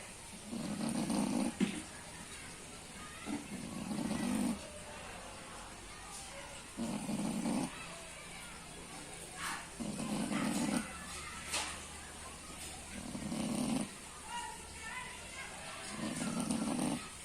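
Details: A pig snoring, its deep, rasping breaths coming in regular bursts roughly every three seconds, six in all, over soft background hiss and a few faint clicks.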